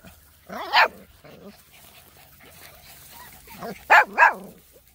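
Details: Labrador retriever puppies, six weeks old, running around and playing outdoors; high, bright puppy yaps, one early bark and a quick double bark later, with faint low murmuring between.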